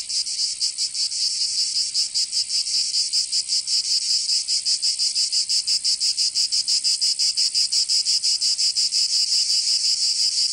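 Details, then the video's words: Summer cicadas in Provence, in the south of France, fill the air with a continuous high-pitched rasping drone that throbs in quick, even pulses for the whole stretch. "Canto Cigarra 🦗 [ Escuchar les cigarras en verano"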